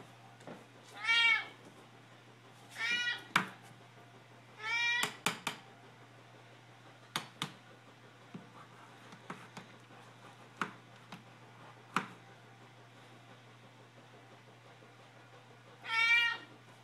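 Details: Two house cats, Mittens and Ginger, meowing for food indoors: a few drawn-out harmonic meows about a second long, with clicks, taps and a steady low hum between them, then a final meow near the end.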